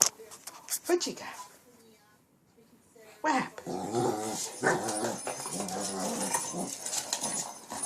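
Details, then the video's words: King Bubba the Shih Tzu, late at night in Pennsylvania, fiercely attacking a cat toy: after a quiet gap, steady rumbling growls with harmonic snarls, a person's voice and scuffling of the toy in a small room. "King bubba the shih Tzu viscously attacks cat toy."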